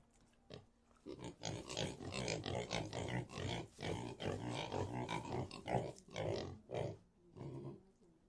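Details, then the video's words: Pigs in a pigsty giving a dense run of low, rough grunts, roughly two or more each second, overlapping and uneven in spacing, with a few brief sharper squeals among them. "Pig Sound Effect | (Pig Sty)"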